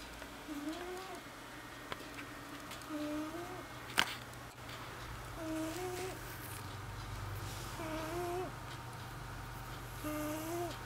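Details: Old female cat asleep indoors, snoring: five droning, slightly wavering tonal snores with a clear overtone, one about every two and a half seconds, plus a sharp click near the middle and a low room hum.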